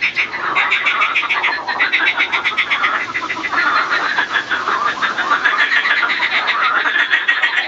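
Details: Marsh frog (Pelophylax ridibundus), breeding chorus: male calling and fighting during the breeding season.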